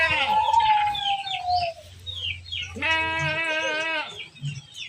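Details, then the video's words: A goat being herded utters one strong, quavering, harmonic-rich bleat lasting over a second, preceded by a thinner call and surrounded by small bird-like chirps. "Menggiring Kambing Lucu, Domba, Hewan Ternak, Embek, Domba Lucu, Suara Hewan"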